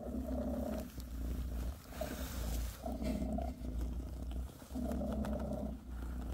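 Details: Purring from Bassy, a British shorthair mother cat massaging her kittens: a deep, buzzy rumble rising on each breath, with three long swells separated by brief quieter dips.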